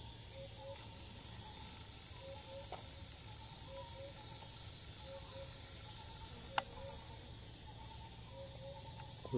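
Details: In Thailand, a cicada that keeps calling after each flight, taken from afar on a monopod among many others. A continuous piercing high drone with a pulsing upper texture. Brief low tones repeat about every second, and a sharp click sounds midway.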